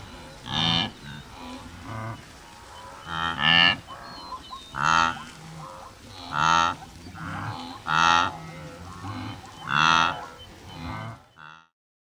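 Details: Migrating wildebeest in Tanzania's Serengeti giving loud nasal honks and moaning grunts, a strong call roughly every one and a half seconds with softer calls between, ending abruptly.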